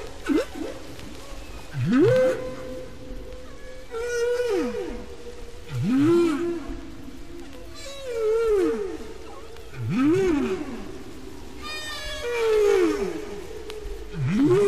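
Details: Humpback whale song from Bermuda, recorded five years after an earlier one, as the shared song changes gradually until entirely replaced. Sweeping moans rise and fall about every two seconds, topped by higher wavering cries over a deep rumbling background.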